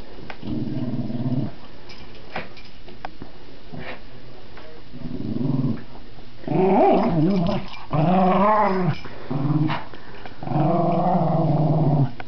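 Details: Pet dog playing with a new toy indoors, producing a series of low rumbling growls and wavering moaning vocalizations in bursts of roughly one second, with short quiet gaps between them.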